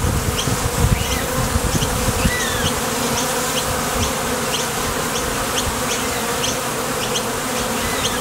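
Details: Steady wingbeat hum of honey bees leaving and landing at the entrance of a top bar hive on nectar-gathering flights. The even drone begins with brief low rumbling, and soft high ticks are scattered across the whole recording.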